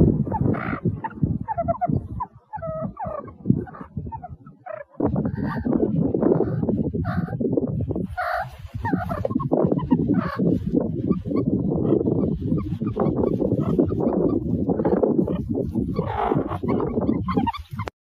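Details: Meerkat (Suricata suricatta), chattering calls.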